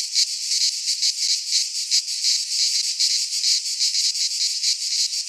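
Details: Cicadas singing in midsummer in a Greek pine forest: a dense, high buzzing drone, steadily pulsing about three times a second, with no other sounds.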